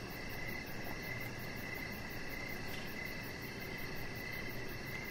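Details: Outdoor evening chorus of crickets near a deck: repeated bright chirps a little under a second apart, a faint rapid high pulse, and a steady low hum beneath.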